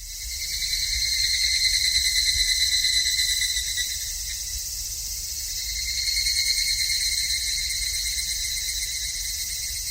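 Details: Wild cicada song: a continuous, shrill, high buzzing drone with a steady lower whine beneath it. It swells in loudness around two seconds and again near six and a half seconds, with no other clear sounds.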